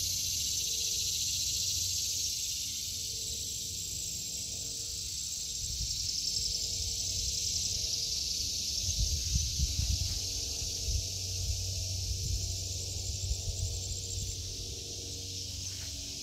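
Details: Summer cicada chorus in a home vegetable garden in August 2023, a continuous high sizzling drone that holds steady throughout, with faint low rumbles and soft handling noises underneath.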